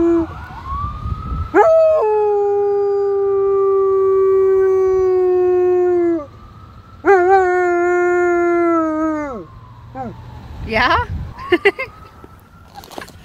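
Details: Domestic dog in Marinette, Wisconsin, USA, recorded on October 13, 2020, howling in response to a siren: two long, steady, mournful howls of several seconds each, ending in falling tones, with a wailing siren rising and falling behind them.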